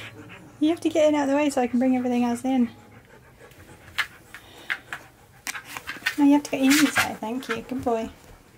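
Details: Indoor husky giving drawn-out, wavering howl-like vocalizations in two bouts of about two seconds each, pitch wobbling up and down, with panting, human speech and handling noises in between.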